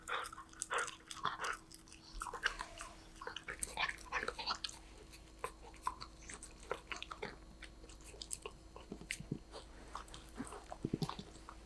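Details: Snack-eating Golden Retriever puppy named Danbi: crisp crunching and gnawing, busy at first, then thinning into scattered bites and small clicks, with a low hum in the background.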